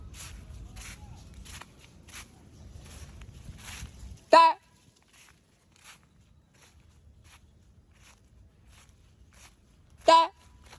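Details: Otter chirping: two loud, sharp harmonic chirps about six seconds apart, each very brief and squeaky, with soft footsteps and faint rustling before the first and a near-silent pause between them.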